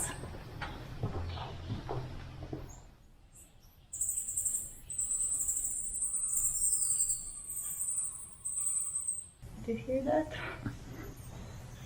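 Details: Many bats in a cave on the way up a partly cave-enclosed hill in Ninh Binh, Vietnam: high, thin squeaking and chittering echoing steadily, with a person talking before and after.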